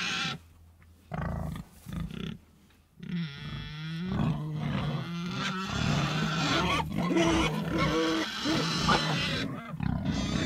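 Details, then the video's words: Pigs starting with a few scattered low grunts, then breaking into a sustained chorus of squealing, whining cries over continuous grunting for the rest of the clip. "Sonido de Cerdos"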